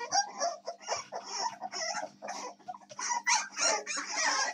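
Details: Several American Staffordshire Terrier puppies, recorded 7 May 2024, give a busy overlapping stream of squeaky whines and harsher whimpers, rising and falling in loudness without pause, in a small indoor space.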